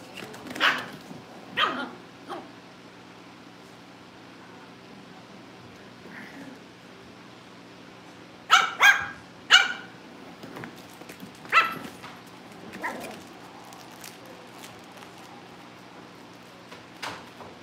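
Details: Cavalier King Charles Spaniel puppies in a home litter ahead of family pick-ups: a few sharp barks open, then a quiet stretch, then a quick cluster of three loud yapping barks, followed by scattered softer yips.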